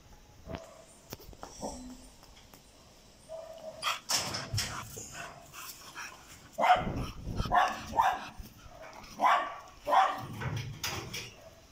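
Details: A four-month-old red-nose pit bull puppy during its evening playtime gives a series of short, sharp barks and yips, clustered in the second half and repeated roughly every second, with soft whimpers between them and scuffling noises from play.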